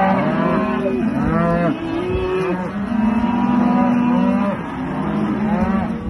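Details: Farmed Aberdeen Angus cattle calling together: short arched moos at first, then a long level bellow lasting over a second, with other animals lowing underneath.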